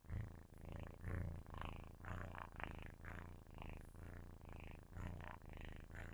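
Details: Sleeping kitten purring loudly close to a microphone: a deep, steady rumble that swells and fades in waves roughly once a second with each breath, with no other sounds.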